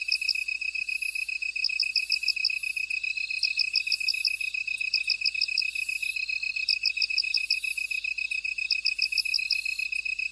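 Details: Buzzing insects fill a field: an unbroken high trill, groups of quick clicking chirps every few seconds, and wavering shrill buzzes higher still.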